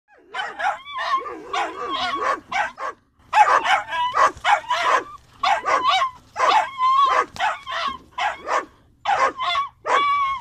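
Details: Doberman, described as a large trained hunting dog, chasing a fox on farmland; loud, rapid barks and yelps in quick bursts with short pauses, some with a whining, wavering tone, continuing for about ten seconds.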